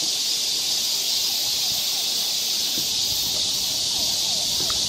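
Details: Forest cicada chorus on a summer walk through Galsan Park, Seoul, South Korea: an even, sizzling high buzz fills the whole stretch, with a few faint short chirps and thin whistled notes from other creatures underneath.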